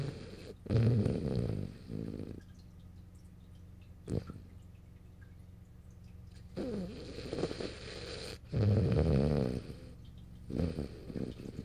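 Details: Morio, a French Bulldog, dozing on a lap in March 2012, gives loud, gravelly snores in four separate bursts, each one to two seconds long, with a low hum and soft breathing between them.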